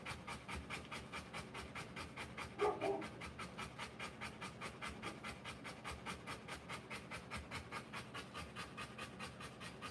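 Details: Fast, even panting from a Rottweiler in labour delivering puppies, roughly 140 breathy pulses a minute, with one short louder sound partway through.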